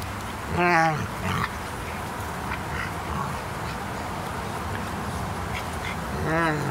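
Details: A 4½-month-old Frenchton puppy, French bulldog crossed with Boston terrier, playing with a greater seeing mountain dog. Two brief, harmonic yowling calls with a wavering pitch, one near the start and one at the end, separated by quieter rustling.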